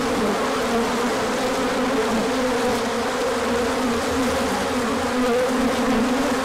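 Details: Bees out on a large orientation flight once the sun appears after chilly days, 24 March 2024: an unbroken, full swarm hum, low and mid buzzing tones wobbling as individual insects pass closer.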